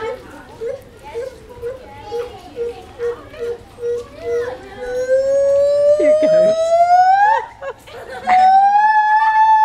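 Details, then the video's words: A monkey at Cotswold Wildlife Park makes an unusual noise: a run of short hoots that merge into a long, rising, siren-like whistle. "Funny monkey noise at Cotswold Wildlife Park"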